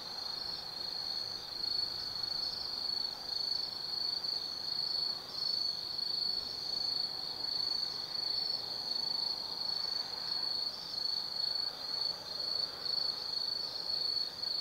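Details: Insects of the autumn forest calling at night on a hilltop lookout above the Nobi Plain, Gifu, Japan: loud, unbroken shrill trill, slightly pulsing in volume, with faint overlapping chirping and little else audible.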